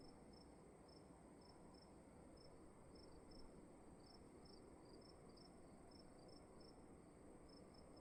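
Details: Crickets calling in a dark room at night: thin high chirps in uneven runs, two callers interleaving in the middle section, beneath a steady soft rumble and hiss.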